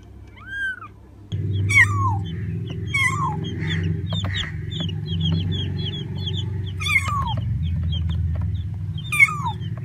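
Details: Cat meowing amid a busy, low background rumble: scattered high, downward-curving mews, some clustered quickly, others spaced a couple of seconds apart.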